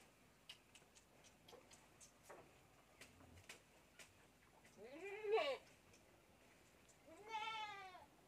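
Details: Goat kid feeding on bottled milk: soft ticking and handling noises, then two strong quavering bleats near the end, the first rising and falling sharply, the second steadier and harmonic-rich.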